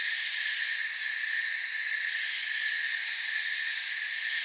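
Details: Forest crickets produce a continuous, even trilling wall of high, shrill chirps layered in several pitch bands, unchanging in loudness from start to end.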